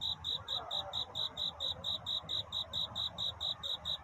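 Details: A cricket sings at night, seeking a mate. Its chirps are bright and high, evenly spaced at about four a second, with a low murmur of background noise.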